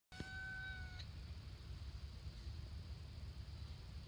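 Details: Stray cat on the lakeview trail at Stonelick State Park, Ohio, giving one clear, steady, slightly falling meow near the start, then only low rumbling background noise.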